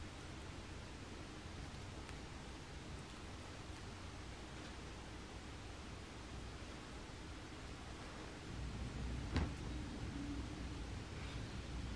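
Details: Steady broadband hiss and low rumble with soft rustling and one brief knock near the end, and no animal calls.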